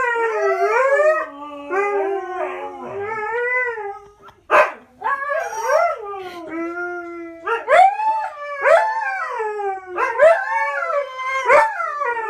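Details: Paired howling from the dogs Coda and Diesel: overlapping wavering howls, a brief pause with a clatter, then short upswept yipping howls repeated about once a second.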